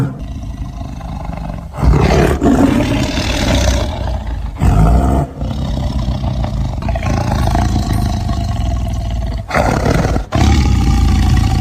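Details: Tiger roaring as it looks for prey, a continuous series of deep, gravelly roars with brief dips between bursts, heavy low rumble throughout.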